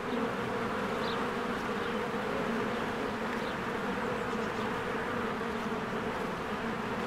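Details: Bees swarm in and out of their cozy hive on a spring day. A steady, droning buzz fills the whole clip, with a brief faint high chirp near the start above the low, even hum.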